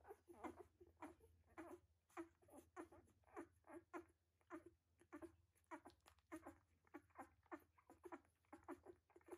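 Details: Puppies about one week old squeak and whimper in quick, uneven bursts in the whelping box, over a low steady hum.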